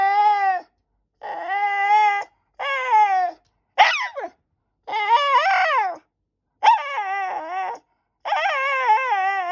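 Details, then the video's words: White Shiba Inu pestering its owner for a snack with repeated high, nasal whines and yelps. Each one lasts about a second, some bending upward or wavering, separated by short silent gaps. "Give me a snack ! おやつをちょうだい！とお母さんに催促する柴犬"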